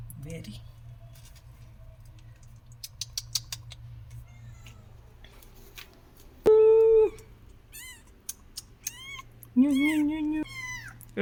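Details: Cat that had hidden her kittens away gives two loud, drawn-out meows, one high and steady, the later one lower and wavering, amid quiet people's voices and a low background hum.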